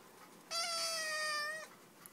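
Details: An 8-week-old black Siamese kitten, indoors, talking: one long steady meow of about 1.1 seconds with rich harmonics, level then slightly falling at the end; quiet room otherwise.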